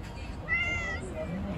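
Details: Hungry stray cat living on the street, asking for food: a single drawn-out meow with clear stacked harmonics, steady then slightly falling, over low background rumble.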